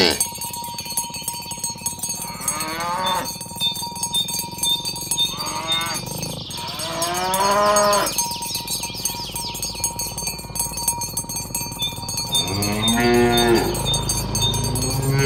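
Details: Herd of tame cows moving along village roads toward the pen in the morning, several shorter, higher bawling moos spaced through the passage, with steady cowbell clinking and hoof clatter throughout.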